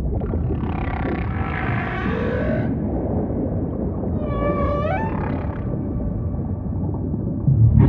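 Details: Humpback whale song in ocean ambience, beginning with a broad buzzy, grating burst for over two seconds, then a sharply rising, harmonic-laden upsweep near the middle, with a low steady rumble underneath throughout.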